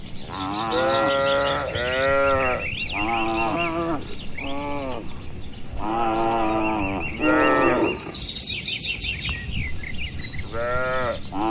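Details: Herd of cattle wandering and feeding on grass in an open rural field; a series of full, resonant moos from multiple cows in close succession, with a lively chorus of birds singing over them.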